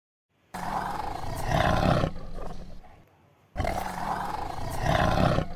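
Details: A tiger in dense jungle gives two deep, rasping roars, each swelling and then fading over about a second and a half.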